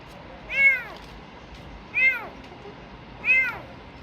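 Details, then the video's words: Kitten rescued sick from garbage, about to get an injection, lets out three strong, high, arched meows roughly every 1.3 seconds against quiet room noise. "Cats Meowing"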